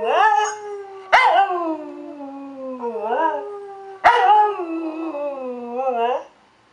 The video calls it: A perfect corgi howl